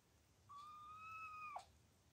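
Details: A single clear, drawn-out high meow lasting about a second, steady with a slight upward lift, then falling abruptly. It is linked to Anna, a doting mother cat with kittens.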